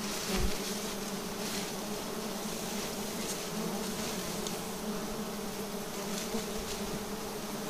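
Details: Bees from a nest clinging to an upright tree trunk, disturbed during a harvest, produce a steady, even buzzing drone with clear layered hum tones throughout, over faint background hiss and a few soft knocks.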